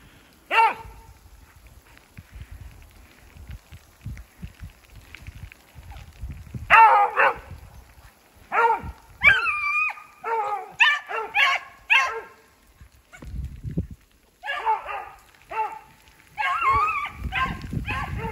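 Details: A pair of hunting beagles run a snowshoe hare in a block of woods after fresh snow, with sleet mixing into rain. A single bay comes first, then a long run of choppy, repeated bays from several onward, over low rumbling noise.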